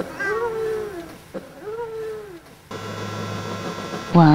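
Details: Pepper, a pet cat, gives two drawn-out yodelling yowls, each an arched tone that rises then falls over about a second. Music then takes over with a steady hum and a loud final chord.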